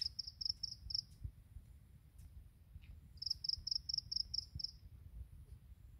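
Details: Grass insects singing in the morning: two bouts of high, thin, evenly pulsed chirps, each a quick run of about five to eight pulses, over a low background rumble.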